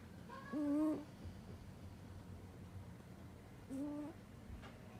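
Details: Sleeping domestic cat giving an odd snore: two tonal, slightly wavering whistle-like breaths, each about half a second, about three seconds apart, over a low room hum.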